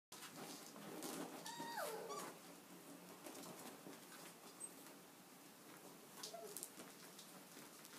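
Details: Six cocker spaniel puppies, six and a half weeks old, playing: a few short high whimpers and a sliding squeal early on, amid constant scuffling and pattering noise.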